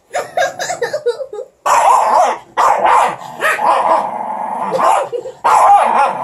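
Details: Pups squabbling over a stick, with a rapid run of short yips opening into long, rough growling bursts that rise and fall, broken by brief gaps.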